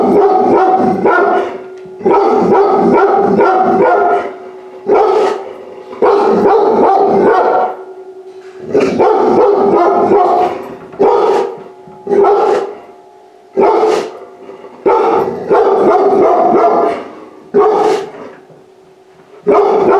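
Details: Rescued puppy, pulled from a high-kill shelter hours before euthanasia, goes inside a home for the first time; rapid bursts of loud barks come in clusters with short pauses, over a steady low tonal hum.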